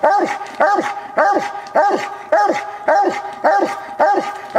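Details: Old Walker coonhound named Copper treeing during a coon hunt, recorded years ago with poor quality; strong, regular barks repeat almost twice a second, each dropping in pitch, with no other sounds competing.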